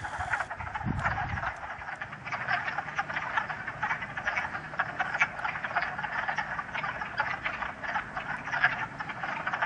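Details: Many wood frogs call in a dense chorus of short, hoarse, duck-like clucks from a pool at West Hill Park and Dam, Massachusetts, on a sunny 30 March 2013, with snow lingering in shade; calling started late this year.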